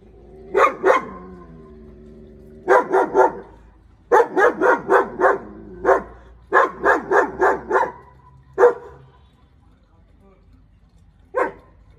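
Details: A German Shepherd barks at an intruder in rapid, fairly regular volleys of four to six harsh barks, with a few isolated barks trailing off into quiet near the end.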